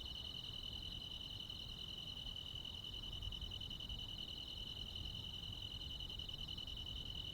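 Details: Countryside crickets and insects on a midsummer night produce an even, ringing high trill in two bands, constant without pauses, set against a soft low-frequency background hum.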